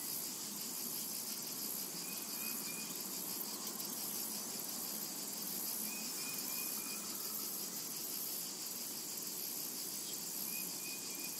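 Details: Cicadas drone steadily in a summer meadow, their high shimmering buzz pulsing slightly, while a bird repeats brief thin whistles every few seconds in the background.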